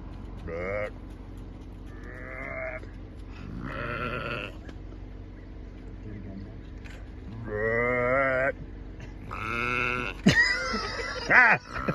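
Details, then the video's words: Bighorn sheep at Lake Minnewanka in Banff, in a back-and-forth exchange of calls with a person: nasal, harmonic bleats of about half a second to a second, spaced a few seconds apart, with a short burst of voice near the end. "Bighorn Sheep and I having a conversation"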